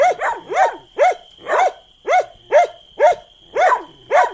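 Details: Dog barking steadily, about eleven short, arched, mid-pitched barks in just over four seconds, roughly two per second, with a faint constant high tone behind.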